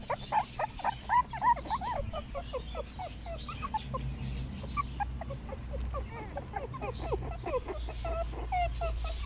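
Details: Puppies on their first day in the garden, 2017, whining and whimpering almost continuously: many short, high, wavering squeaks overlapping from several pups, with a steady low background hum.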